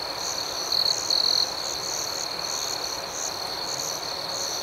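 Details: Steady shrill cricket chorus at night with quick repeated chirps and two brief louder notes early on, otherwise uniform and free of other sounds.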